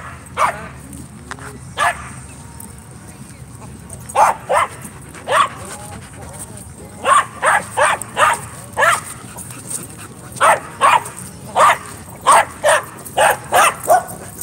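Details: Dogs playing at a dog park on a Friday night; scattered single barks early, then rapid runs of sharp woofs, some doubled, with people talking quietly in the background.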